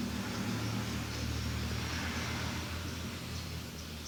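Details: Feral kitten purring while sitting on a person's lap on a cold morning; a steady, low, rumbling drone runs unbroken through the clip over a faint background hiss.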